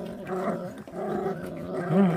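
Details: Eating puppy of a feral dog gives a steady, deep continuous growl, nearly unbroken, rising slightly in loudness at the close.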